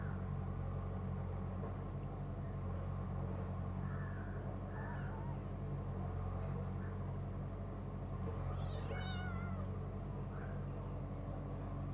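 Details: Cat giving a drawn-out, wavering meow near the end, preceded by a few soft, short chirping mews, all over a loud, steady low engine drone.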